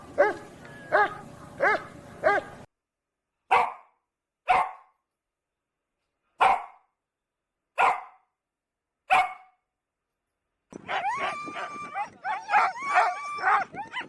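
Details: Several dogs of different types barking in separate cuts: a quick burst of barks, then widely spaced single sharp barks in silence, ending with a busier stretch of higher, yelping barks.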